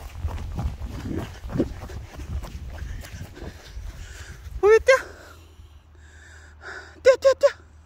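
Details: Pet cat, described as extremely dog-like, gives one short harmonic meow, then three quick clipped meows in rapid succession near the end; people talking and handling noise fill the first half.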